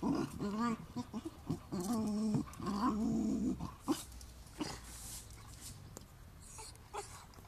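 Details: Dog, either a Standard Bull Terrier or an American Bulldog, giving a series of low harmonic growls and whining moans in short bursts over the first four seconds, followed by scattered thumps and quieter background noise.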